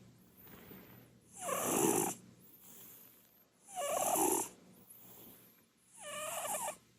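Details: Purin, a round short-legged Munchkin cat dozing on a sofa, gives booming snores; three long, rasping breaths with a reedy whistled edge, each lasting under a second, separated by quiet pauses of about two seconds.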